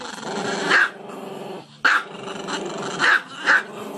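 A dog barks in short, sharp bursts over a steady low growling rumble.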